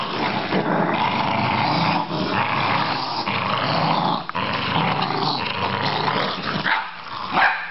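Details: Australian Terrier growling almost without pause, a harsh rumbling sound that briefly drops near four seconds and ends with a sharper yip-like note.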